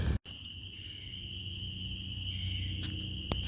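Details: A distant chorus of spring peepers (Pseudacris crucifer), possibly mixed with cricket frogs, calls from wetlands in South Georgia's Coastal Plain in 2023. It blends into a steady, high, ringing whine over low rumbling background noise.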